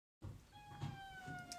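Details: Domestic cat, one of the pair Theo and Alfy, about to head out into nature: a single long, steady meow, slightly falling in pitch and lasting about a second, over a low background rumble.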